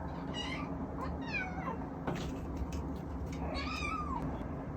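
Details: Male Munchkin kitten left home alone, filmed on an iPhone, gives three drawn-out, harmonic-rich meows, the last one longer and bending downward, over a steady low indoor hum.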